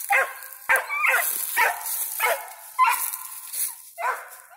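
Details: Young squirrel dog Ranger, five months old, has a squirrel treed and bays at it in a steady run of about seven ringing barks, each falling slightly in pitch, under a constant high-pitched background hiss.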